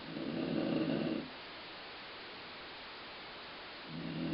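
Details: Snoring from Colline the dog, compared to a rumbling stomach: one low, grumbling breath lasting over a second, then quiet hiss before the next snore begins.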